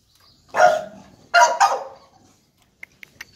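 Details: American Bully puppies: two sharp, bright barks, the second a quick double, followed by a short pause and a few faint clicks.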